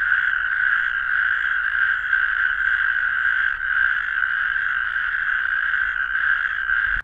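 Natterjack toads calling with a loud, continuous rattling trill, steady and mid-pitched throughout.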